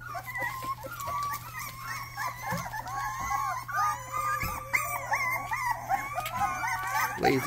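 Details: Rottweiler puppy attempting its first barks, giving a continuous run of high, wavering whimpers and yelps that bend up and down in pitch, with a constant low hum underneath.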